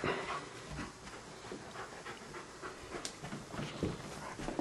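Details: Standard Poodle Sidney hesitates at the bedroom, afraid to fetch his beloved ball. Rapid rhythmic panting fills the room with soft huffs, one sharp click and a coaxing human voice around it.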